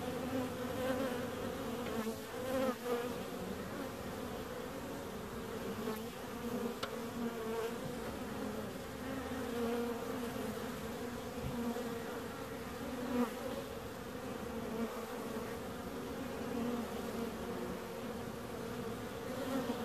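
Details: Sustained buzzing of bees, a steady layered hum with a few brief louder swells and faint clicks scattered through the long drone.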